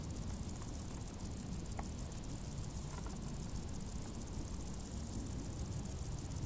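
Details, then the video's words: Summer crickets hidden in tall grass keep up a thin, high-pitched pulsing chirp, the beats evenly spaced, while a constant deep rumble like distant engine noise fills the lower range. "Grilli | suoni dall'erba alta"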